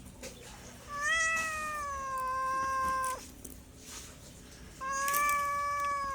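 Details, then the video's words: Domestic cat giving two long, level meows, the first about two seconds and the second starting near the end, each a steady harmonic-rich tone with a slight fall at its close, quiet room between. "MEOWING MEOWING - CAT CUTES - CAT FUNNY - SOUND CAT - MEOW CAT 01"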